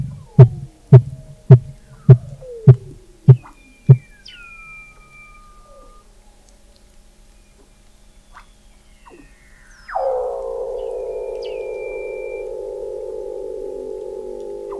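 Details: Weddell seal song under thick Antarctic sea ice in McMurdo Sound, November 2017, picked up 21 m below the ice: seven loud low pulses about half a second apart, then fading high descending whistles and a long buzzy, harmonic-rich low drone.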